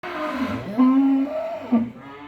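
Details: Dairy cow on a farm in Faridpur district, Bangladesh, giving a low drawn-out moo that holds steady, then dips and rises again before a short final grunt, with faint background music.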